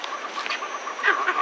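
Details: A vervet monkey gives a rapid, nasal chattering alarm call, having either spotted cheetah cubs or seen another predator approaching.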